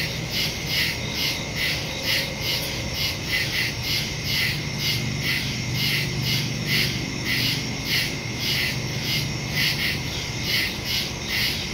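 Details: Night chorus of crickets in the woods, recorded September 2, 2023 on a phone with a Shure MV88+ stereo microphone; repeated high trilling chirps roughly twice per second, dense overlapping insect hiss and a low background rumble.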